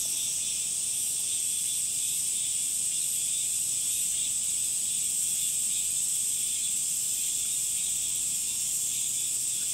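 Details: Summer cicadas fill the air with a dense, unbroken, high-pitched hissing drone that holds steady throughout, with no pauses or other clear sounds.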